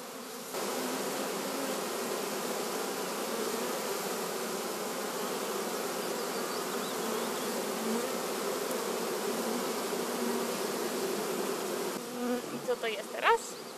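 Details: Honey bee swarm entering a new hive to merge with another colony: dense, continuous humming buzz of many bees throughout, fading near the end into scattered rustling and a short chirp.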